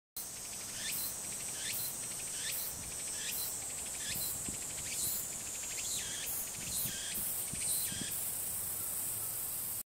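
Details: Walker's cicada recorded 9 July 2018 gives a high, hissing buzz in regular rhythmic phrases about once a second, each with a brief sweeping accent, over a steady drone of other insects.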